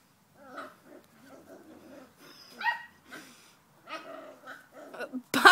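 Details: English Springer Spaniel tormenting another dog: a series of whiny, grumbling vocalizations with rising and falling moans and short yelps. The sounds come in uneven bursts and end in a loud noisy burst.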